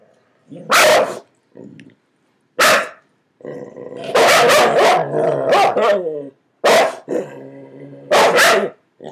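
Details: Dogs under a bed barking at each other, with single sharp barks spaced about two seconds apart and a longer stretch of mixed barking and growling in the middle.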